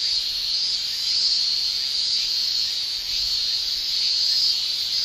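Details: A continuous shrill hiss of male cicadas singing in summer in Japan, high and even, with faint waverings in intensity.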